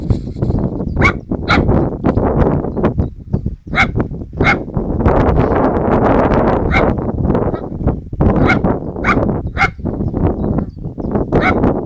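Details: Poodle outdoors barking at a radio-controlled model plane, telling it off: short sharp barks repeated irregularly, roughly every half second to second, over a heavy roar of wind and engine noise.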